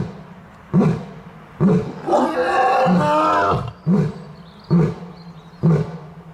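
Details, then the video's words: Lion roaring: a few deep grunts about a second apart, then a long, loud, full-throated roar, followed by more short booming grunts repeated at roughly one-second intervals. "Lion Roar Compilation"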